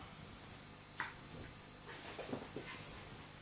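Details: Staffordshire Bull Terrier adult and pup in a play fight, giving a few brief yelping whimpers and soft growls in quick succession over a low background of movement and scuffling.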